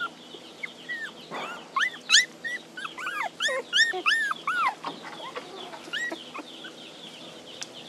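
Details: Puppies crying for their mother, wanting her nearby: high, arching whimpers that rise then fall, several overlapping in quick bursts of two or three, with faint high chirps underneath.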